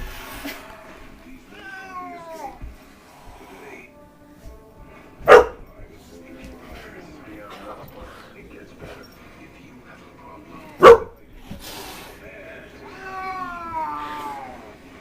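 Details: Overweight pet cat, angry at a puppy that adores it, gives a drawn-out wavering yowl that falls in pitch early on and another near the end. Two sharp, loud knocks come in between, with faint voices and light music.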